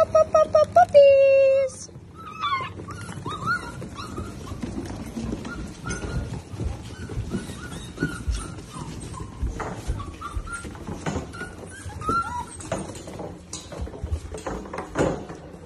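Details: A litter of Rhodesian Ridgeback puppies indoors in Dallas, Texas, USA, on April 6, 2023, rushing through an open door to their breakfast bowls. High squeaky yelps open the clip, then scattered whimpers and squeaks over a busy clatter of paws.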